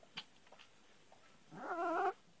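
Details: Bull terrier puppies playing near their mother: after faint clicks and rustles, a half-second, wavering, nasal whine that rises slightly and cuts off abruptly.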